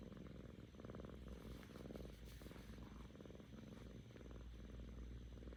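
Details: Happy purring from Kkami, a playful seven-month-old female house cat; a deep, continuous rumbling purr in rhythmic waves of inhale and exhale, close to the microphone, with no other clear sounds.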